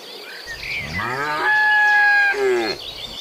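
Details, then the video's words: Tame cattle out on a mountain road to pasture, part of a herd of dozens. A single long moo dominates, starting low, swelling into a sustained loud tone for about a second, then sliding down and fading. Birds twitter faintly behind. "Suara sapi moo"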